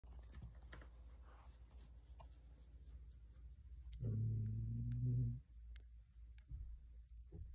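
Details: A tiny calico cat, left unable to purr, meow or growl with ease by illness in her first six months and now past her first birthday, gives one very soft, low growl just over a second long in a quiet room.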